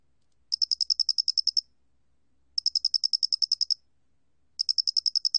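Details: Doenitz's flat-faced cricket song from the National Institute of Biological Resources, 2020: high, clear chirping trills, each a run of about a dozen rapid pulses lasting roughly a second, separated by second-long pauses, in a quiet setting.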